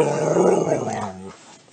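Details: Talkative dog giving a low, rumbling growl-like groan that holds steady, then fades away toward the end in a quiet room.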